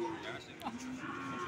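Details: Brief low moo from PO cattle at Sokaraja market, Banyumas, a steady humming note with a short sharp noise early on, market chatter behind.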